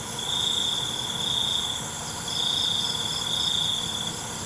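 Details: Crickets at night: a high, steady trill swells for about a second and a half, pauses, then returns in two more bursts over a constant shimmering insect hum.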